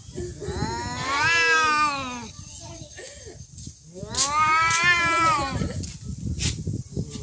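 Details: Fighting cats trade two long, loud caterwauls, each swelling to a high, strained wail and fading, with a short chirp between them and faint clicks and background noise.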